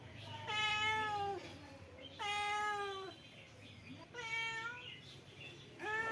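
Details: Four drawn-out meows from a male cat, each about a second long and gently falling in pitch, repeated roughly every two seconds over a low background hum.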